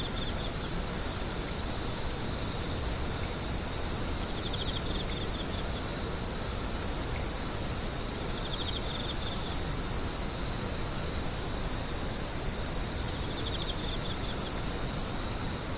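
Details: Constant high, thin buzzing of many insects, steady and unvarying, while a lower pulsed trill rises and fades three times in the background; a faint rumble sits underneath.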